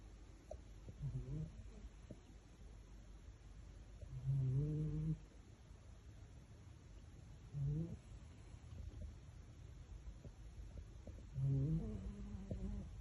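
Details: Male Maine Coon cat asleep and cuddling his fish toy gives low, humming snores roughly every three to four seconds, some longer and louder, in a quiet small room.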